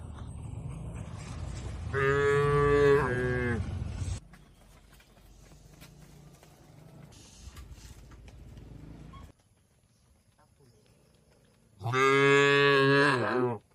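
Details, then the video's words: Tame cattle being herded to a wide field in a peaceful village, lowing twice: long harmonic moos of about two seconds each, the second bending in pitch at the end, with quiet rustling and rural background between calls. "Suara Lucu Sapi"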